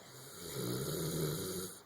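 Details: Thor, a dog asleep on his couch after a long day, gives a low droning snore that swells and fades over under two seconds, with a steady faint hiss behind it.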